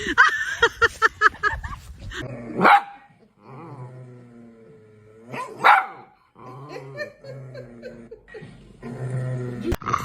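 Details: Pet dog barking: a quick burst of rapid barks at the start, then single sharp, loud barks spaced a few seconds apart, with low drawn-out tonal sounds in between.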